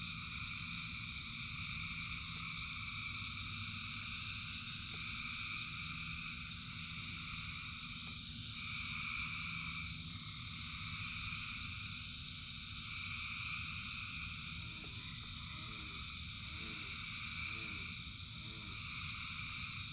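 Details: Frogs singing in rain in a dense, ongoing chorus of high trills. Near the end a closer frog adds short, lower repeated pulsed notes about once a second, all over steady rain noise.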